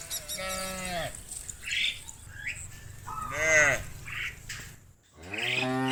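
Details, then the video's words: Cattle calling friends to return to the barn; three moderate moos spaced about two seconds apart, mixed with scattered higher bleating-like calls and steady background noise. "Hundreds of funny cow sounds calling their friends to come home to the barn, cow sounds"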